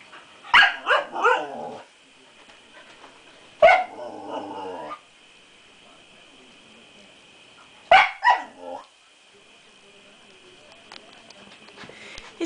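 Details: Nani, a six-month-old female Siberian Husky puppy, seeing her reflection for the first time, lets out three clusters of sharp, high barks and yips several seconds apart, with a steady faint tone in the background.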